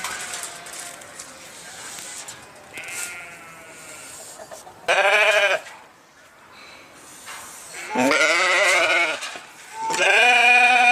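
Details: Sheep calling with three loud, tremulous bleats spaced a few seconds apart, the last one long and steady, over faint softer bleats in the background.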